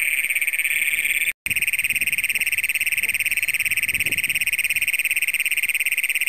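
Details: Huge chorus of Great Plains toads in a flooded cornfield, Brown County, Minnesota, at night on June 27, 2010, filmed with a Canon PowerShot SX100: a deafening high-pitched continuous trill with rapid pulsing, one very short dropout, a little faint talk.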